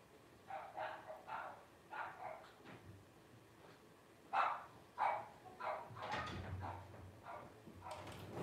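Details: Twelve-day-old Blenheim Cavalier King Charles Spaniel puppies, a litter of five born New Year 2023; clustered squeaky cries in short bursts, a brief pause, then louder yelps mixed with soft low bumps.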